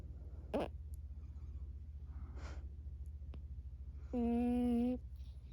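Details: Emma Rose, a Burmese cat, vocalizing in her sleep: soft breathy snuffles and a click, then one steady, even moan under a second long near the end, with constant low household hum beneath.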